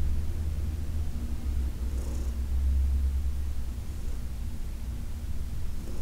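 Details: Senior cat Heidi, adopted from the Humane Society of New York City, being massaged on August 4, 2021. Her continuous low, even purring hum fills the recording, with only faint handling noise above it.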